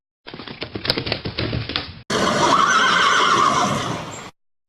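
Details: Horse: about two seconds of clopping hoofbeats on a hard surface, then an abrupt switch to a loud, breathy, rough whinny held for over two seconds.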